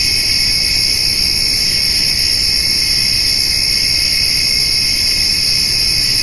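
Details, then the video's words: Crickets trill without pause on a summer evening where a white-tailed doe and fawn eat hay, grasshoppers also heard; a bright, even insect drone in several high layers, with light low-pitched background noise. "Summer Evening with Cricket and Grasshopper Sounds"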